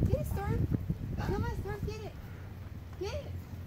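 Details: Huskies on the Pacific Crest Trail facing a mountain lion, 13 August 2017. Rising and falling whines, repeated in short bursts, with a low background rumble and some human voices.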